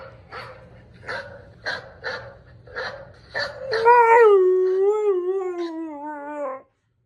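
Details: A German Shepherd, set off by hearing the sound of dogs barking, gives short whining yelps, then breaks into a long, wavering howl that slowly falls in pitch.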